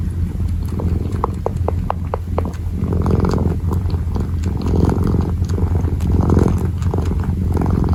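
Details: Purring kitten kneading, a deep continuous rumble throughout, joined early by several short clicking or ticking sounds and later by brushing, rustling noises.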